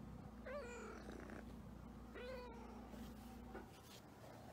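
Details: Havana Brown cat giving two drawn-out meows about a second and a half apart, each a clear harmonic cry, over a steady low electrical hum.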